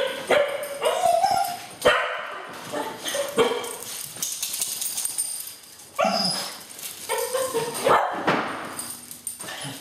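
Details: Cocker spaniels waiting indoors each morning to go to the beach, giving loud excited barks, yips and rising whines in bursts, two dogs calling over each other.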